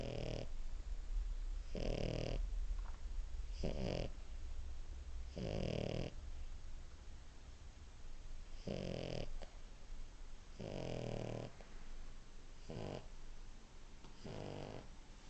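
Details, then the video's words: Sleeping French Bulldog snoring steadily, dreaming; harsh, wheezy inhalations repeated roughly every one and a half to two seconds with a low continuous rumble underneath, recorded indoors. "Anton schnarcht süss"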